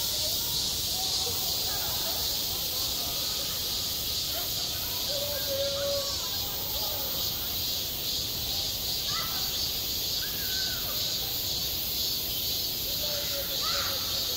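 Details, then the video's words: Summer cicada chorus over a school playground: a continuous shrill hiss-like drone with slight pulsing in its upper band, and soft faraway voices now and then in the background. "한 여름 운동장에서 매미가 울고 있다"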